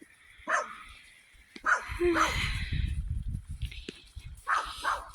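Short, sharp barks from a Jack Russell Terrier come in irregular bursts, some with a yipping edge. A man's voice talks over and between them.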